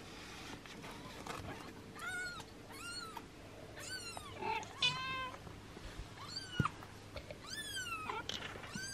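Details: Six-day-old kittens, black Yami and lavender Hisu, being washed by their mother cat, Yami protesting the grooming: high, thin meows arching up then down, about eight calls in nine seconds, some overlapping, over a low steady hum.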